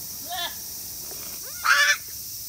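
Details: Young goat kids about 40 days old at Yoshigake, a handmade goat farm in Himi, Japan, on 14 August 2018, the day they got name tags: two short, nasal rising bleats, the second louder and more strained.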